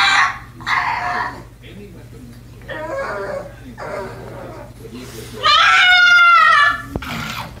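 A pug gives a series of short, strained yowls, then a longer wavering howl.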